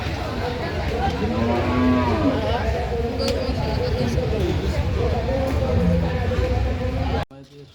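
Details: Cattle for Qurbani sacrifice at the Kodalia cattle market in Jessore, Bangladesh; low drawn-out moos rise over a loud, crowded market din with constant voices and bustle.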